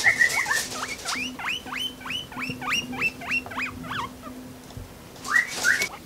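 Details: Guinea pig (Cavia porcellus) wheek call, a fast run of shrill, squeaky whistles aimed at humans. It is given when hungry or on hearing food-related sounds such as the fridge door opening.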